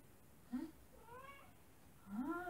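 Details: Hungry female house cat meowing while leading her owner to her favourite food; three soft meows, the first short and low, the middle one drawn out, the last rising and stronger, in a quiet room.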